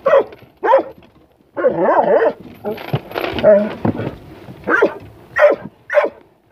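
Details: Puppy with white paws and a black muzzle, met in passing during exercise, gives sharp short barks, spaced about half a second to a second apart, while a person talks in a wavering, sing-song voice.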